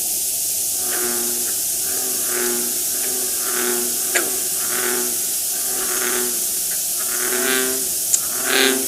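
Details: Frogs giving snoring calls: rough, harmonic-banded croaks repeated roughly once a second, some overlapping, over a steady hissing background.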